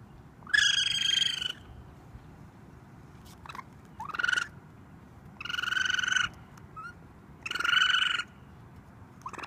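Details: Raccoon kit screaming for mom on a roof: four loud, drawn-out, grating cries about two seconds apart, each near a second long, mixed with shorter softer squeals in between.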